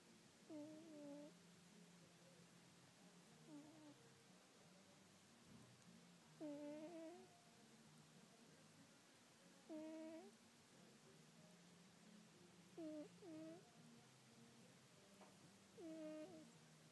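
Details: Sleeping domestic cat snoring indoors: soft, drawn-out breaths with a tonal, slightly whistling edge on the louder phases, repeating about every three seconds, some faint and some stronger, over a low steady background hum.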